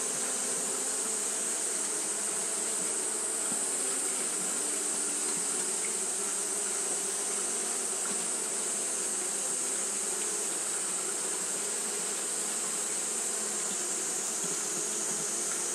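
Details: Japanese honey bees fanning continuously on a hot day; a steady, dense hum with low droning bands and a constant high hiss overhead, unbroken for the whole stretch.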